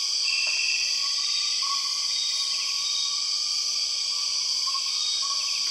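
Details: Steady, piercing high buzz from empress cicadas, the 6 o'clock cicadas of Borneo's rainforest, holding an even level without pause while soft, brief whistles of other forest animals come and go underneath.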